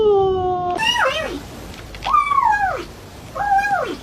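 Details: Weird-sounding cat calls: a long flat tone followed by three arched meows, each rising, holding, then sliding down, spaced about a second apart.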